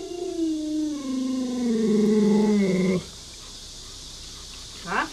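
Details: Luoluo, the owner's Alaskan Malamute, is annoyed by a pretend dog-meat hotpot. It makes a sustained, moaning howl of about three seconds that sinks gradually in pitch, then stops abruptly, leaving quiet room noise and a brief clatter.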